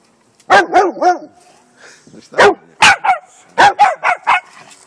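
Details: Bernese mountain dog puppy and Jack Russell terrier at play, firing off rapid clusters of yappy, harmonic barks, around ten in under five seconds, some rising and falling in pitch.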